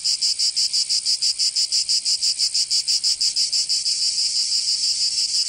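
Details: Cicadas singing in summer in Provence, southern France: a dense, buzzy high-pitched chorus pulsing about three times a second, then blurring into a steadier continuous drone toward the end.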